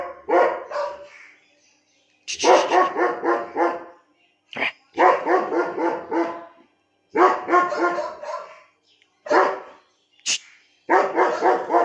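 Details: A 17-month-old German Shepherd in Lucknow barks in rapid bursts of four to six loud, harsh barks, separated by short pauses, with a brief high sharp note near the end.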